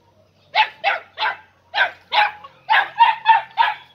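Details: Podenco Andaluz puppies aged three and a half months, inside a riding arena for the first time, give nine sharp, high yapping barks in quick succession, several per second, with brief pauses between short runs.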